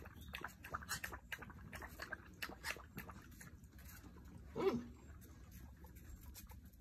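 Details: Basset Hound puppies: soft scuffling and patter, then one short, high, wavering whimper a little past the middle, with low background rumble throughout.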